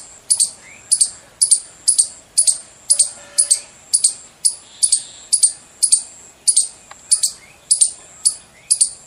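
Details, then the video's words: Squirrel giving loud chirping calls: sharp, high, clipped chirps repeated about twice per second, some sixteen in steady succession, with faint low tones in the background. "Loud Squirrel Chirping sound.squirrel sounds.गिलहरी की आवाज। गिलहरी की बोली।"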